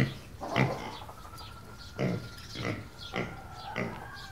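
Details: Soft, low grunts from a small black pig on a farm outside the city, spaced about half a second apart, over a steady faint hum.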